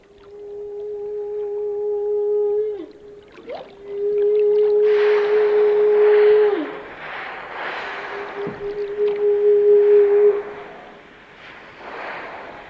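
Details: Whale song: long, steady mid-pitched moans lasting two to three seconds each, every one ending in a brief downward slur, separated by hissing, rushing bursts of water noise.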